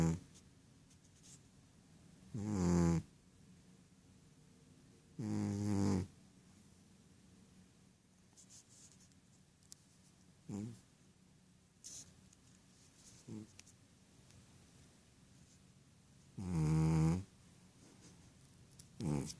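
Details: Rohan, a Ragdoll cat, sound asleep and dreaming indoors, snores in low, buzzy harmonic bursts under a second long, spaced irregularly every few seconds with quiet breathing between.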